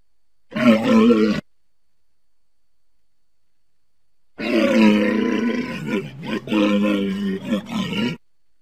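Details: Walrus making a short guttural bellow, then a long pause, then a drawn-out stretch of throaty, wavering roaring that breaks into several pulsing segments.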